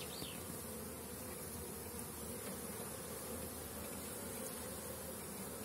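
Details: Many honey bees flying around the hives in spring-like brood-rearing season, young bees on orientation flight; dense, continuous droning hum filling the air without pause, a faint whistled note at the start.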